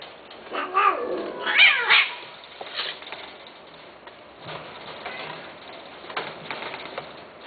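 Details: Domestic cat meowing: a quick run of wavering, harmonic meows that rise and fall in the first two seconds, then quieter scattered sounds to the end.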